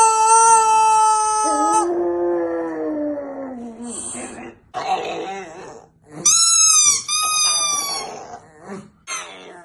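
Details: Pet pug howling and making odd vocal sounds along to squeaky toys: a steady toy squeak, then a drawn-out howl sliding downward, rough broken noises, and two higher whining howls that fall in pitch.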